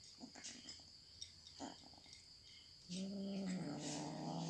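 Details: Pet cat while eating: scattered light clicks and chewing crunches, then a sudden sustained, wavering vocal call, loud and harmonic, lasting over a second until the end.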